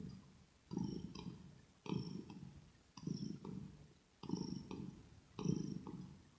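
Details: Purring kitten recorded up close, ear to ear, for ASMR: five deep buzzy purr bursts roughly every 1.2 seconds, each pulse with a soft click, quiet gaps between breaths.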